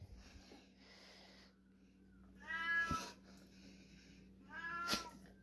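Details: Fully raw-fed pet domestic cats howling indoors while raw pork is shown; two drawn-out, wavering meows come near the third and fifth seconds after quieter murmuring, over a steady low hum.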